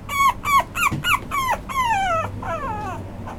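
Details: Male Toy Poodle puppy with an apricot coat whimpering in sharp, falling squeals that stretch into longer drawn-out cries and then fade into softer whines.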